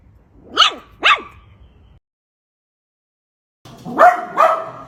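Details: Poodle giving two quick, sharp barks close together, then a pause of silence before a rougher, harsher double bark.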